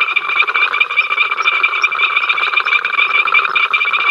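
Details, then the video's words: Frogs at Ol Donyo making their incessant row on the africamLIVE live cam, 05 October 2023: a thick chorus of rapid rattling croaks and shrill steady trills, a few brief higher chirps standing out above. "We are Froggies, hear us croak!"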